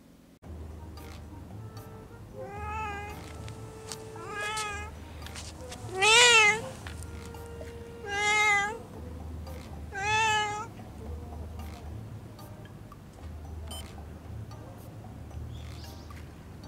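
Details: Stray black cat that always meows, talking back: five drawn-out wavering meows spaced about two seconds apart, the loudest in the middle, over a steady low hum and soft background music.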